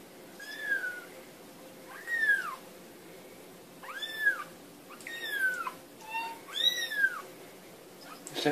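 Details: Kittens playing give a run of about seven shrill, arched meows, each rising then dropping, spaced unevenly over several seconds, with a brief clatter at the end.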